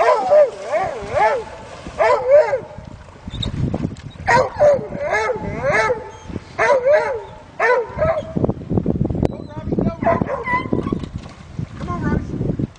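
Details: Two dogs stranded in a drifting canoe barking incessantly while a black Labrador swims out to rescue them; sharp repeated barks in clusters, with a man's encouraging shouts and water splashing.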